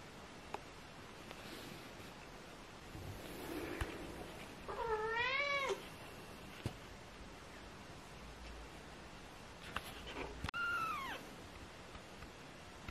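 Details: Four British Shorthair kittens, 18 days old, give thin, high, wavering mews spaced several seconds apart.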